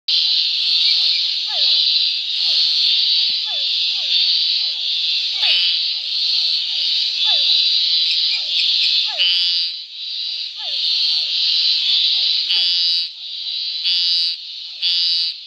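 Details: Scinax fuscomarginatus recorded in a marsh near Córrego Bezerra, Arraias, southern Tocantins, Brazil; dense buzzy high-pitched calls repeated in pulsed bursts, with many short falling chirps from other frogs beneath, a busy chorus throughout.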